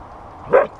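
A Siberian Husky gives a single brief, tuneful yelp that swells and fades within a fraction of a second.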